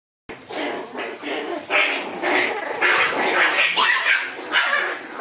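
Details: Two white Shiba Inu brothers fighting: dense, rough growls and snarling barks come in overlapping bursts, roughly two a second, with no pause between the animals' voices.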